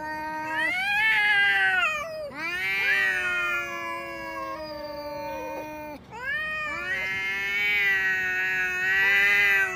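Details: Quarrelling pair of pet cats, including Xiaohui, noisy whenever they meet; three long harmonic yowls rising sharply at each onset, then held and wavering, separated by short gaps, the second voice joining in.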